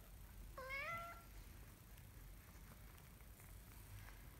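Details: Single thin, high kitten meow, bent slightly upward then falling, from a kitten learning to walk; afterwards only faint room hiss and a few soft taps.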